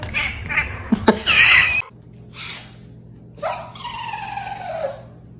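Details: Kitten meowing indoors: one long drawn-out meow that slides gradually downward, with rich harmonics and lasting about a second and a half. Before it come brief loud bursts and sounds of handling, and a person talks nearby.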